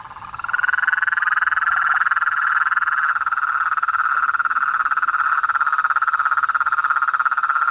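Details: Wild frogs, toads and treefrog: a loud chorus swells within the first second into a continuous rapid pulsing trill, sustained at a steady pitch to the end.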